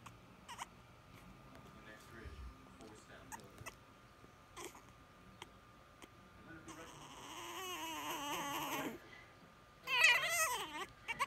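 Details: A French Bulldog puppy yelling to be held: soft talking and faint noises at first, then a loud, wavering, whiny wail for about two seconds, followed by a short, sharp burst of yelps.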